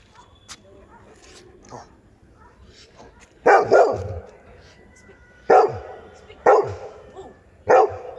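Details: An adult Labrador Retriever, urged to "speak", barks loudly in short bursts, some doubled, a second or two apart.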